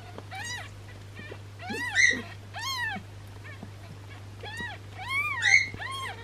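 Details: Newborn kitten with a swollen belly, likely from gas, during a massage meant to help it; shrill rising-falling mews come one after another, some louder and strained, with a low background hum.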